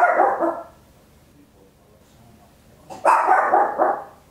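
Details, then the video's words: Indoor stereo recording of a small Papillon dog barking very loud: one long rough bark, a pause of over two seconds, then a longer ragged bark with several pulses, background otherwise quiet. "Tiny Dog Barking Very Loud, Papillon"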